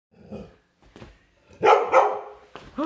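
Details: Pet dog playing inside a house gives a couple of short, loud barks close together after some softer rustling and low grunting sounds, then a final rising yelp at the end.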